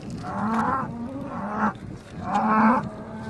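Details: Eleven Hereford cows and their calves coming ashore on the Danish island of Skarø, 13 April 2016, after sailing from Tåsinge; three drawn-out, open-throated moos in quick succession, each swelling then fading.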